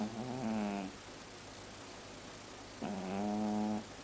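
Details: Domestic cat snoring loudly: two long, low, buzzy drawn-out snores, each close to a second, separated by a quiet pause of about two seconds, against faint room hiss.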